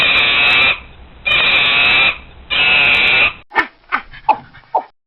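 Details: Monkey screeching: three long, piercing, raspy screams in steady succession, then a run of four short, sharp barking yelps.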